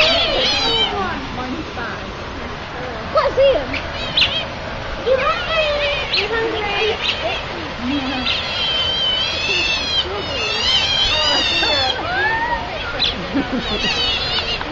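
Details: Hungry otters calling with many overlapping high squeaks and chirps, some rising or falling, clustered densely throughout; a steady background hiss and possible voices underneath.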